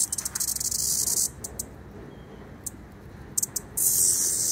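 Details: A cicada sings in high, hissing buzzes that start and stop, then swell into a steady drone; afterwards it flies away with birds trying to catch it.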